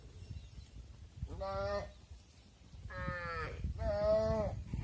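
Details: Cattle at a farm barn, with mothers entering and their calves left outside. Three harmonic moos: one short call, then two longer, overlapping, wavering calls close together, over a low rumble.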